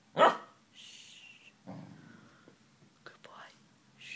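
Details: A Pembroke Welsh Corgi gives one short, gruff low bark while listening, after being told to speak, followed by soft whispered hushing from a person.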